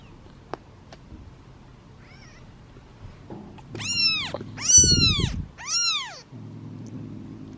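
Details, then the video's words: Seven kittens sit in a basket waiting to be fed, one meowing louder as it waits; after quiet ticks, three strong, clear meows in quick succession, each sweeping up then down, with soft rustling. "Impatient Meows of Kittens and Hungry Hiccups!"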